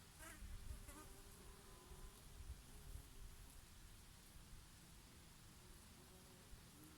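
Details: Honey bees buzzing while grazing on oregano flowers in a summer breeze, with a bumblebee here and there: low droning hum with passing buzzes that swell and fade, over soft steady wind noise.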